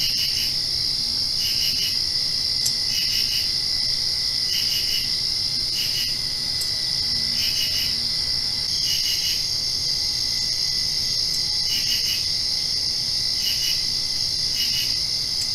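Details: Crickets chirp at night just after rain in a steady high-pitched chorus, with pulsed bursts repeating about every second and a half.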